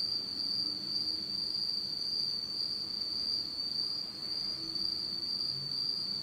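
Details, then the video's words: Japanese autumn insects calling at night in total darkness: a sustained high metallic ringing drone with slight flutter, a faint overtone higher up, and a few faint lower chirps in the background. "真っ暗闇の秋の虫の声 Beautiful sound of insects in the fall of Japan in total darkness."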